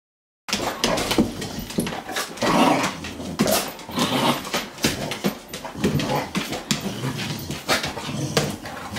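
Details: Two pet dogs, a Boxer and a Morkie, play fighting: constant rough growls and snarls overlap with short high yips and whimpers, punctuated by sharp thumping bursts of scuffling.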